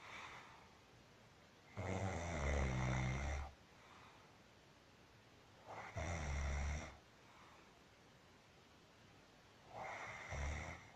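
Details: Sleeping domestic cat Marusya snoring in a quiet room, three long, deep, rattling snore breaths, each lasting one to one and a half seconds and arriving about every four seconds, with near silence between.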